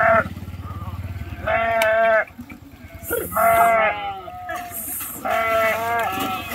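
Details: Sheep crossing a river by swimming; three loud quavering bleats of similar pitch spaced about two seconds apart, with a low rumbling engine-like noise at the start and brief hissing splashes.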